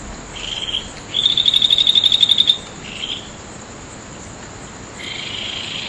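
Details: Night insects beneath the August 2011 full moon at Nagahama, Naze, Amami Ōshima, Japan: a clear, evenly pulsed high trill of about fifteen beats lasting over a second, framed by softer buzzy phrases and a steady shrill hum.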